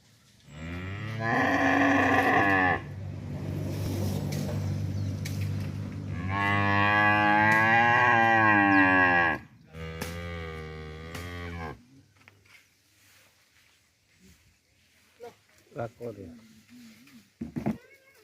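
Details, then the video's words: A cow on a village farm calls in a series of three drawn-out, full-throated moos, the middle one longest at nearly three seconds, followed by scattered knocks and small clattering sounds. "Humboo Humboo Cow Sound"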